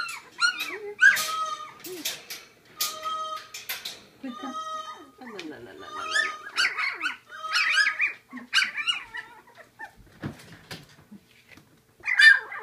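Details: Hungry Labradoodle pups of Seaspray Quinn learning to eat puppy gruel, producing steady high whines and squeaks, some held as flat tones, overlapping and continuous, with brief spoken words among them.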